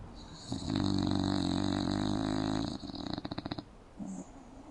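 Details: English bulldog snoring in its sleep, mouth open, on a couch inside a home: one long coarse vibrating snore of about three seconds that breaks into rattling pulses as it ends, then a faint short murmur.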